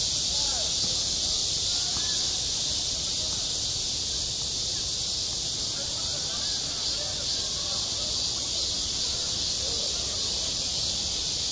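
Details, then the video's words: Summer cicada chorus over a school playground, a steady sizzling high drone with a slight pulsing shimmer at the very top and scattered faint lower chirps. "한 여름 운동장에서 매미가 울고 있다"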